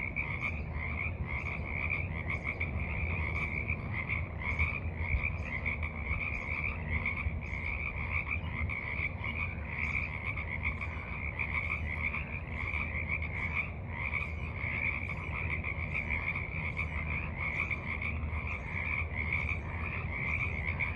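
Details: A steady chorus of frogs at a forest pond in the evening, recorded March 28, 2023. Rapid, tightly packed mid-pitched croaks overlap into an unbroken throbbing trill over a constant low hum.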